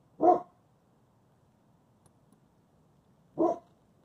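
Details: Covi, a tired German Shepherd Husky mix puppy, reacting to his snoot being booped for the first time; two brief muffled barks roughly three seconds apart in a quiet indoor space.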